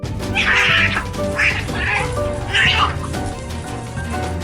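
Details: Stray domestic cats fighting after a threat turns into an actual fight make violent, ear-splitting sounds: harsh, raspy screeching bursts, three main outbursts in quick succession, heard over steady background music.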